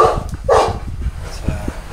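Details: Two quick, gruff barks in close succession from a Boerboel at Delatro Boerboels on 30 October 2013, followed by low background murmur and a faint voice.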